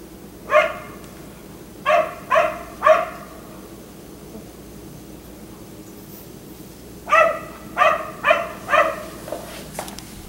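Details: Barking from a black Labrador retriever left out in the yard until 1am: one bark, then a quick trio, a quiet spell of about four seconds, then four more barks and a softer final one.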